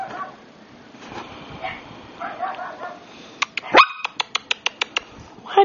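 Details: Brussels Griffon puppy giving a rapid run of short, sharp yaps near the end, after quieter muffled sounds; a person talks to the dog indoors.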